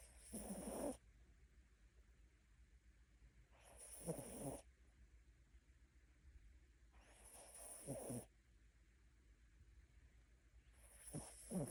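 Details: Mini Bichon pet dog asleep and snoring: four rasping, breathy snores at a slow steady pace of about one every three to four seconds, each swelling then cutting off, quiet between.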